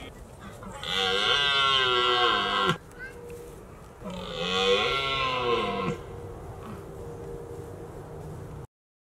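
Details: Autumn rut of red deer in Richmond at the height of the mating season: two long, groaning roars, each about two seconds, that rise slightly and then fall away, with a low murmur between them.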